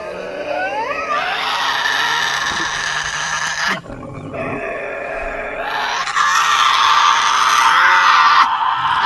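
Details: A recording of a Tasmanian devil giving its ear-piercing, harsh, rasping screeches and growling groans. They sound terrifying and far larger than the small animal.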